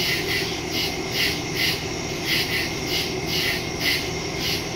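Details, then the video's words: Crickets chirping at night in the woods, recorded September 2, 2023 on a Samsung Galaxy S22 Ultra with a Shure MV88+ stereo microphone; high buzzy pulses repeat about twice per second over a steady background hiss. "Crickets in the woods at night"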